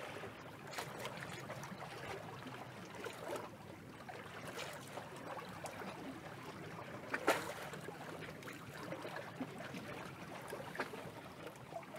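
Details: Steady watery sloshing and boat-like noise with occasional knocks; no animal voice stands out.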